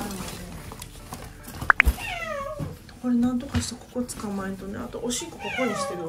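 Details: Rescued stray cat that had escaped by morning gives a run of short meows, each one sliding downward in pitch, several in quick succession, with human voices talking over and between them.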